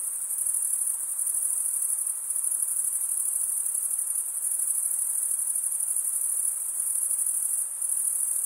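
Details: Continuous cricket chirping, the wing-against-wing stridulation of males, heard as a bright, thin, very high ringing trill that pulses finely and dips slightly in loudness now and then; background otherwise quiet.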